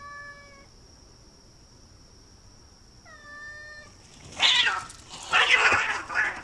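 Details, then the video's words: Cats fighting in a front yard: two clean harmonic meow-like tones early, then loud, harsh, noisy screeching bursts in the final seconds, with a steady high background tone throughout. "Cat Fight in Front Yard"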